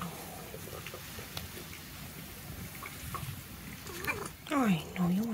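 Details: Buddy, a white tabby cat, scared on his first day at a transit foster home after his previous owner's sudden terminal diagnosis; two wavering, drawn-out meows near the end follow quiet room noise, with a person talking softly.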